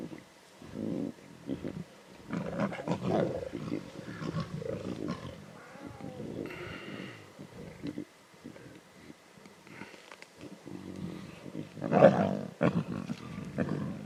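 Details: Lion cubs snarling and growling intensely at a zebra carcass in the Timbavati, Kruger area: rough, rasping growls in uneven bursts, some long and rumbling, others short snarls, with a louder outburst near the end.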